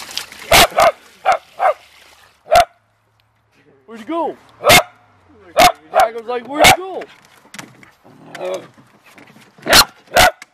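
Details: Beagles and a Red Bone dachshund, family pets, playing and digging in water; sharp barks in irregular bursts, some with rising whining yelps around four seconds, amid splashing and a person talking.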